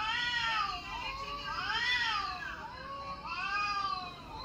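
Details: Mature cat indoors reacting to cat sounds played on a mobile phone: a series of drawn-out, wavering meows rising and falling, about one every second or so, in a small room.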